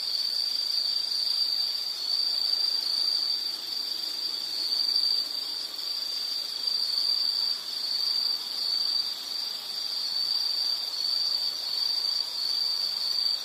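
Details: High, thin insect trill pulsing on and off in short runs, sometimes briefly pausing, over a low wash of outdoor ambient noise and a fainter, higher ringing note.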